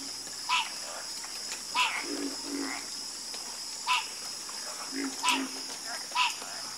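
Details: Frogs croaking at night: sharp ringing croaks spaced about a second apart, softer lower croaks between them, and a continuous high insect hum behind.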